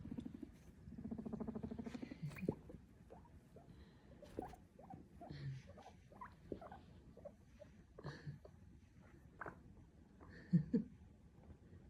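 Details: Pet guinea pig popcorning beneath a Christmas tree while pushing toys, one low pulsed rumble early on, then scattered soft clicks, taps and shuffling noises of movement and toys.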